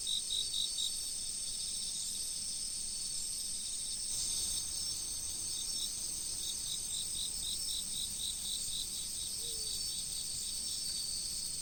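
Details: Insects calling in autumn beside a flowing river, a steady high-pitched ringing chorus with rapid pulsed chirps, about four per second, coming in runs, and a faint low rush of water beneath.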